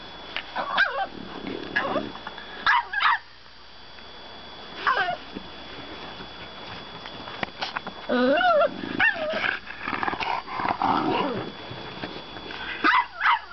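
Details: French bulldog puppy arguing at bedtime, giving scattered whiny rising yelps and short yips separated by quiet gaps, with a person's voice audible in the background indoors.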